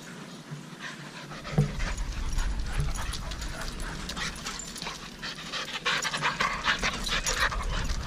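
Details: Playing dogs panting hard in quick, uneven breathy puffs that grow denser and louder in the second half, over a low rumbling background with a single knock early on.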